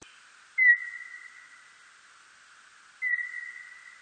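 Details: A birdlike noctule bat recorded in 2020 gives two drawn-out whistled tones, each starting with a quick downward flick, about two and a half seconds apart.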